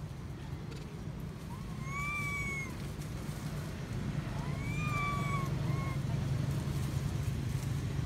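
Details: Crying baby female monkey begging her mother to nurse her gives drawn-out tonal wails, each swelling then sliding down, two long ones and a brief third, above a steady deep background rumble of vehicles.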